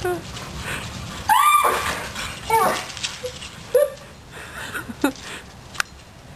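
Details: Dogs Yeti and Virgil chasing a squirrel, giving sharp, bending yelps about a second apart, each with a rising, then falling tone, amid outdoor background noise and a person's voice.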